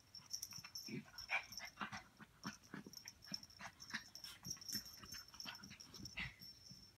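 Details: A Chihuahua and a Pomeranian, Bear and Munchkin, at play indoors, giving soft breathy wheezes and snuffling puffs in quick uneven succession, with a few brief squeaky notes and a constant thin high whine behind.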